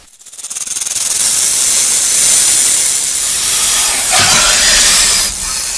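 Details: Rattlesnake shaking its rattle: the buzz starts with audible rapid clicks that quickly merge into a loud, continuous high hiss, with slight surges toward the end.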